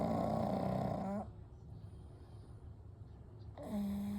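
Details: Sleeping pugs Kou, Gen and Shun snore together: a whistled, rasping snore lasting about a second, a pause of soft breathing, then another nasal whistling snore starts.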